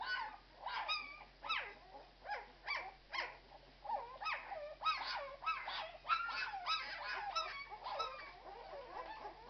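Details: Litter of Irish Red and White Setter puppies at twelve days old, squealing and whining almost continuously, short arched squeaks repeating roughly every half second and crowding together over a faint background hum.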